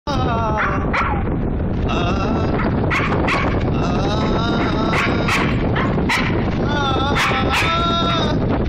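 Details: A Siberian Husky howls along to the Hindi song "tum tak tum tak" with drawn-out, sliding howls that rise and fall, broken by short yelps, the loud music partly covering its voice.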